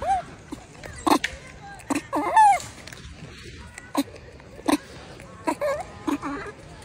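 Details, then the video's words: Baby wild macaque crying loudly after being bullied by its mother: short arched, harmonic wails, some rising then falling, broken by sharp clicks and knocks nearby. "The baby monkey was bullied by the mother monkey and cried loudly"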